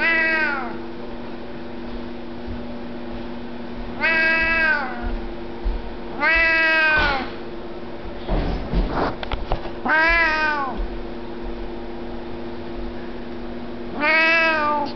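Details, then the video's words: A talkative Siamese cat meows repeatedly, five drawn-out arching calls, each rising then falling, spaced two to four seconds apart, with a brief rustling or handling noise between, over a low steady indoor hum. "Nicki the Talking Siamese"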